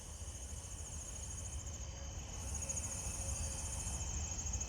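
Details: On a warm, humid night, a nearby broad-winged tree cricket gives a steady, unbroken trill, lower pitched than the surrounding pine tree crickets and other higher-pitched insects.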